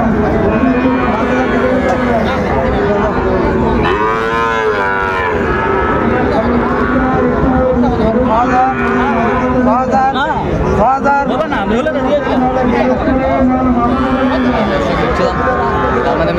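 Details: Many cattle at a Comilla livestock market in Bangladesh, 5 September 2024, where bulls are bought for farming; repeated drawn-out moos rise and fall, overlapping one another amid constant human voices and background market noise.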